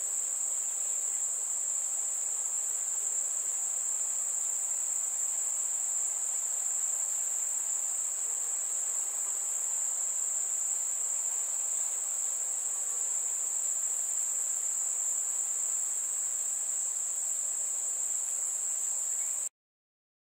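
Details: Crickets on a warm summer night: one very high, unbroken whistling trill holds at an even pitch and loudness for nearly twenty seconds, with no other clear sounds, before cutting off suddenly.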